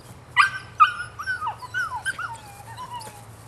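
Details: Female puppy, nine weeks old, giving two sharp yips followed by sliding, whining whimpers that rise and fall, ending in a long thin descending whine over a faint low hum.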